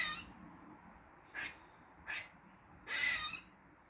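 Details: Weird noises from a squirrel in a Dublin garden on the morning of 16 August 2023: two short raspy chucks followed by one longer wheezy, hissing squeal.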